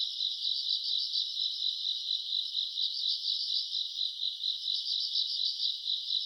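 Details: August night recording of grass insects singing in summer, a steady high-pitched chirring drone with fast beating pulses from overlapping callers, quiet background otherwise.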